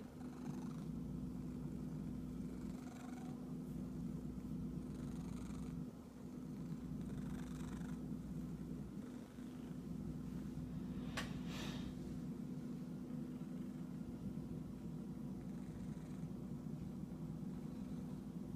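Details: A domestic cat described as itchy keeps up a low, even purr for the whole stretch. Soft rustling bursts recur every few seconds, with a brief dip near 6 seconds and a sharp click around 11 seconds.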